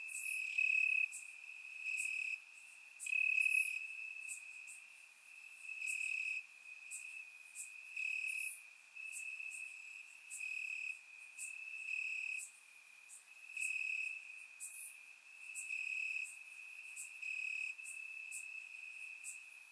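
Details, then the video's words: Night chorus of crickets in summer grass in Bulgaria, surround recording: continuous high ringing trill swelling and fading in pulses every second or two, with bright clicking chirps from several insects layered on top. "Cricket Sounds - Crickets Chirping at Night"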